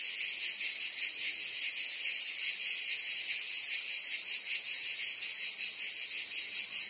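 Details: Cicadas singing on a summer day in Provence, France: a dense, steady, high-pitched buzzing chorus with a fast shimmering pulse that never pauses, no other animals or voices heard.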